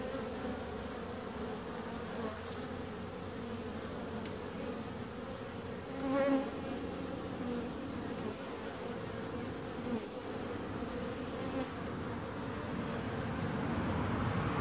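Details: Bees keep up a constant buzzing hum. Midway, one insect's whine suddenly grows loud and then fades, and a few faint high chirps sound near the start and end.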